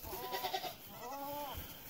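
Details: One of a pair of newborn twin goat kids on a homestead gives two clear, high, quavering bleats in quick succession, each slightly falling at the end, with faint background noise.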